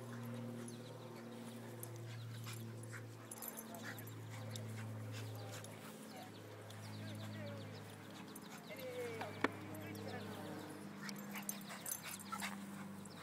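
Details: Playful wrestling between two dogs, a terrier and a shih tzu named Emmy and Ginger. Low sustained growls rise and fall in long stretches with brief pauses, mixed with small yips, scuffling and a person's voice.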